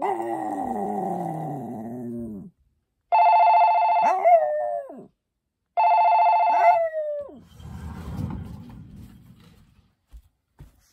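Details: Poppy the Maltese opens with a long, wavering, layered howl. Two steady phone rings follow, each with a falling vocal slide, then a soft, rough trailing sound.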